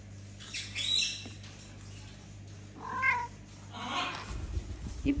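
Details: Mother cat with her kittens in a home shared with many pets and exotic animals. Short, high, tonal meows come near one, three and five seconds, with a steady low hum and faint rustling behind them.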